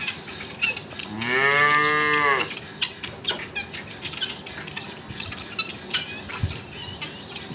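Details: Cattle mooing: one loud, drawn-out moo with a rich stack of harmonics lasting about a second and a half, followed by scattered clicks, knocks and rustling noises.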